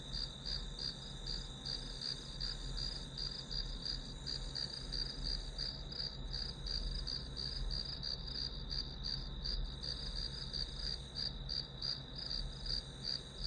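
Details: Grass insects chirping continuously, a bright high-pitched trill beating in quick regular pulses about three per second, with a faint low rumble underneath throughout.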